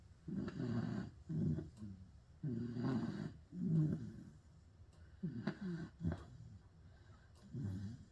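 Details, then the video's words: Snoring pit bull with uneven rhythm, deep raspy rumbles alternating with shorter snorting breaths, some coming in quick pairs, separated by brief silent pauses. "Pit bull roncando"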